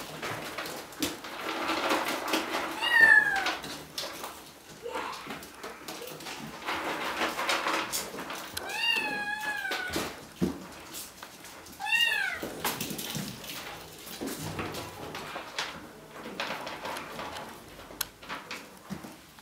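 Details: Bengal kittens at Wildrose Bengals, three litters with two nearly 8 weeks old and eleven 5 weeks old, giving a few scattered meows, rising-then-falling tones around 3, 9 and 12 seconds, over rustling and indoor shuffling noise.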